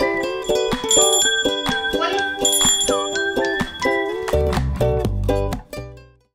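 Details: Bright ukulele and bell-like background music plays a plucked melody that fades out at the end.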